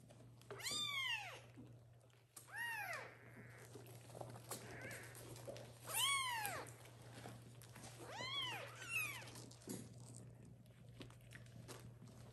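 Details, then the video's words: Kittens meowing loudly for the mother cat to come back and nurse them; four or five strong arched meows, each rising and dropping, with faint softer calls between and a steady background hum. "Little kittens meow loudly for the mom cat to come and feed them"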